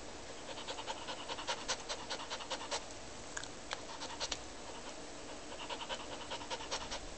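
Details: Frightened dog during a storm panting indoors: quick breathy huffs about two and a half per second, coming in runs with a short break near the middle, over a steady low hiss.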